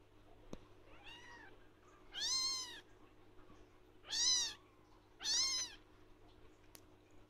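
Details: Young blue lynx Ragdoll kitten shouting for attention at its owner, giving four bright meows that rise and drop in pitch, the last three louder and evenly spaced, with a couple of soft clicks in a quiet indoor setting.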